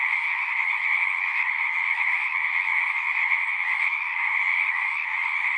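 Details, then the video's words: A steady natural chorus of many frogs, with shrill overlapping trills forming two level pitch bands that never let up, and faint low background murmur. "One hour of singing frogs."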